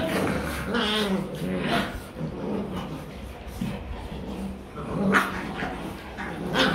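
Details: Pet German Rottweiler puppies in Vietnam play-fighting and practising biting each other; low rough growls and short whimpering whines come in uneven bursts, with a person talking over much of the scuffle.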